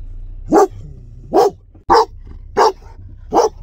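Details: Menacing barking from a German Shepherd, a voice said to frighten passers-by in the street: five strong, harsh barks spaced under a second apart in a steady run.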